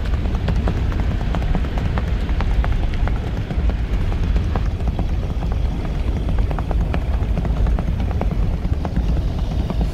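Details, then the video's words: Rapid, loosely spaced hoof clicks from a horse travelling in rewal chal, half buried under a steady engine-like low roar. "आप सिर्फ इसके पैरो की आवाज सुन || Horse Rewal Chal"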